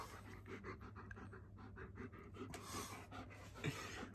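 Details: German Shepherd named Midnight, a former stray now adopted and thriving, during indoor play. Quick, rhythmic breathy pants repeat several times a second over a steady low hum.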